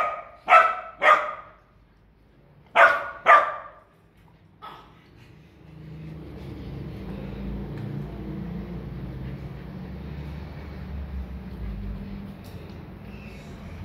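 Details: Siberian husky named Rose, described as greedy, gives two pairs of loud, rough barks in the first three and a half seconds, then falls silent over a steady low background hum.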